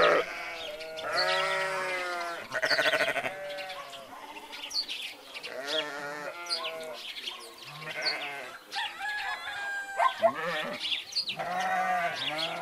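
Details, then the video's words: Grazing sheep and goats together: a steady flow of wavering bleats from several animals at different pitches, some short and choppy, others long, with faint high chirping in the background. "Sheeps, goats and their sounds"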